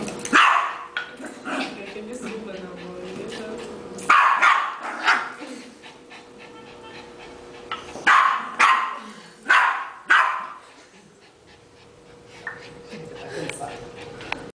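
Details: Excited Yorkshire terrier during a ball game at home, sending out clusters of two or three sharp barks every few seconds while people speak in between; a faint electrical hum persists.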